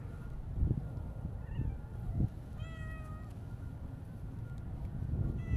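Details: Single brief meow, clear and slightly falling, from a stray Siamese mix cat midway through. Around it are soft thumps and low outdoor background noise.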